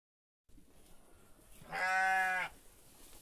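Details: A single sheep bleat, steady and harmonic-rich, lasting under a second in the middle of the recording against faint background hiss.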